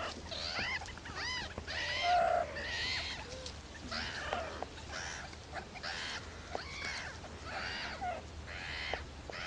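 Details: Young meerkats beg noisily for food from their babysitters, uttering a string of short, raspy, harmonic squawks roughly once per second, loudest around the second second, over a constant low hum.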